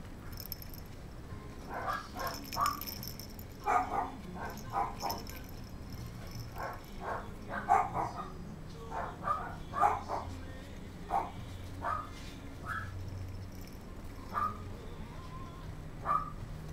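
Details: High, clipped barks from a young gold female Kaninchen Dachshund, born November 6, kept at a puppy shop in Kadoma, Osaka, Japan, coming in quick uneven runs then sparser single yips, with faint rattling and a low room hum.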